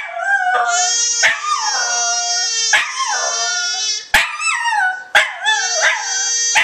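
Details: A female Welsh Terrier howls along with a singing, screaming baby in long, wavering, bending notes, broken by a few sharp clicks.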